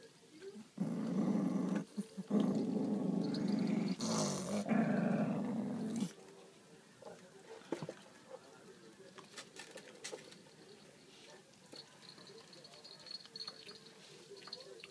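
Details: Pet dog growling while guarding a pork trotter: about five seconds of loud, rough, rumbling growls rising into a harsher snarl, then quieter room sounds with faint clicks and rustling.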